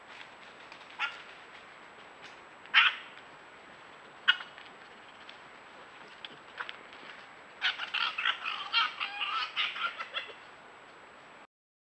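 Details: Red fox giving harsh, raspy calls: three separate sharp bursts spaced a second or more apart, then a rapid chattering run of about a dozen grating calls over three seconds, all over steady background hiss.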